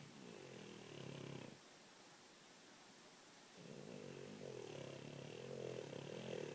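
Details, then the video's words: A French Bulldog snoring while dreaming, low rough rattling breaths with a buzzy wheezing tone, a quiet pause in the middle, then the snoring resumes steadily indoors. "French Bulldog Snoring"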